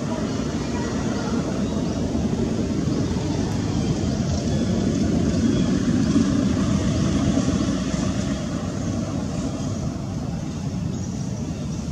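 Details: Steady loud engine-like rumble fills the whole stretch with broad, even noise and no distinct calls standing out.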